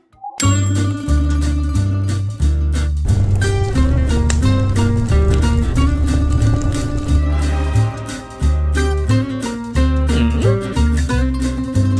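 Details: Loud, steady plucked-string music with bass notes and a bright melody runs throughout, with no animal voice.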